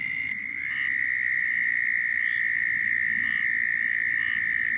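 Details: Southern toads calling in Florida, a mating call: a steady, high, unbroken trill holds one pitch throughout, while short, regular chirps from other callers pop up faintly in the background.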